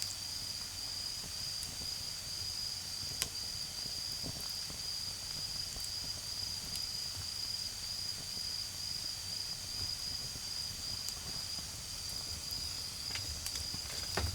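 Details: Garden insects of an autumn night trill in one continuous high, even tone while a bonfire snaps and crackles now and then, with a faint low hum of far-off traffic underneath.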